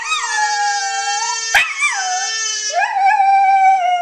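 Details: Maya, a family Welsh Terrier, howls in duet with a baby who screams and sings; one continuous wavering howl rising and dipping in pitch, layered over the baby's steady held note, with a brief knock midway.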